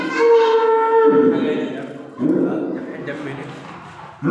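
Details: A calf crying the day before Eid: one drawn-out, steady, tonal bawl lasting about a second, then rougher, lower, breathy calls that fade away.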